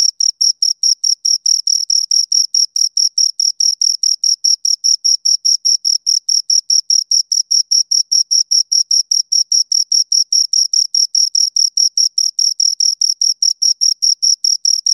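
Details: Crickets, two of them, keep up an unbroken series of shrill, high chirps at a fast even pace, each pulse crisp and of equal strength, with no competing sound.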